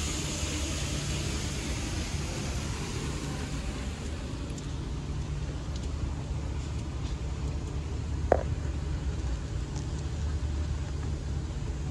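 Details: Steady low road and vehicle rumble fills the background, with one brief sharp knock near eight seconds and no animal sound.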